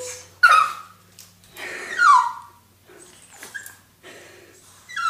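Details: Toy Fox Terriers meeting a turtle for the first time indoors, growing more vocal as it comes out of its shell: loud high whines sliding downward, a few short yips between, spaced about every one to two seconds.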